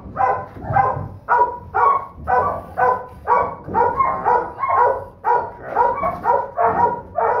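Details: Donovan Pinscher holdback female puppy from Duke x Survivor, smallest of the litter and third pick, giving a steady run of sharp, harmonic puppy barks about two per second, each short and yappy, with no other clear sounds.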